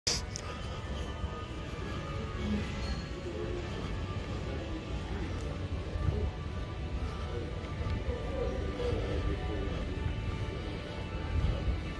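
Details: Inside a Lowes store, steady background music plays under low indoor rumble, with occasional speech and no animal voice standing out.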